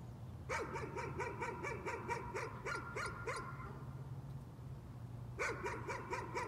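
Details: A dog's nuisance barking, a fast string of evenly spaced yapping barks lasting about three seconds, silence, then barking resumes near the end, with a constant low hum underneath.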